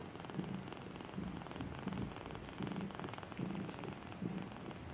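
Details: Rumbling, breath-paced purr of a Maine Coon from a Saint Petersburg, Russia cattery, pulsing a little over once a second, with faint light tapping noises above it.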